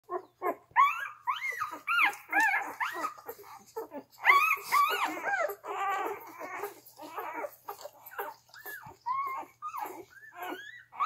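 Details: Twelve three-day-old Gerberian Shepsky puppies, born June 21, 2021 to a German Shepherd–Siberian Husky mother and Siberian Husky father, nursing indoors; rapid overlapping squeaky squeals arching up and down, about two per second, busy and uneven.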